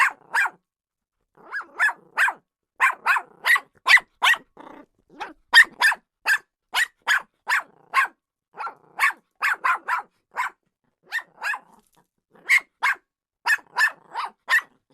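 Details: Jack Russell Terrier barking in quick, sharp bursts: short single and double barks repeat steadily through the whole stretch, with brief pauses near the start and the middle, and no other sounds.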